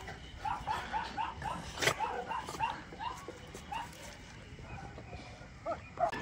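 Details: Rescued Teddy-type toy poodle, once abandoned and infested with maggots, at the Harbin Liu Li small animal rescue station in northeast China; short mid-pitched yaps come in a quick run of about eight, then scattered single barks over steady background noise.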